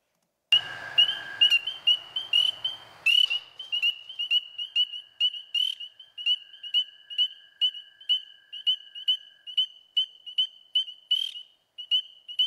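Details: A single spring peeper beginning to call at a vernal pool in spring in the eastern US gives piercing, high, slightly rising peeps about twice a second, with American toads trilling softly behind.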